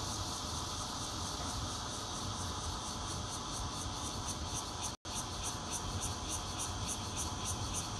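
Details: Bear cicada chorus captured on a Nokia Lumia 820 at a fourth-floor home in Zhongli, Taiwan, 16 June 2013, red-veined plus intermittent singers; continuous shrill hissing with rhythmic high pulses, one brief silent gap midway, low hum beneath.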